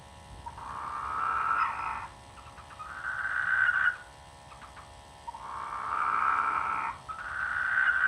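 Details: Frogs croaking in rice fields during the rainy season beside a village; long, buzzy, nasal croaks of one to two seconds come in steady succession, sometimes overlapping, with brief gaps between them.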